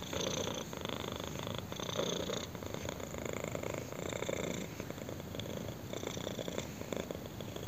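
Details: Intense purring from a kitten scratched under the chin, a dense buzzing rumble alternating between louder and softer phases with each breath, steady throughout.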